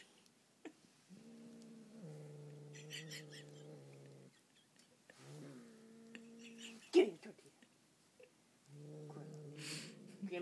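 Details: A male pet cat known for eating everything growls while eating a tortilla: three sustained low, humming, harmonic stretches of about three, one and a half and two seconds, with a person repeatedly saying "give me the tortilla" in between.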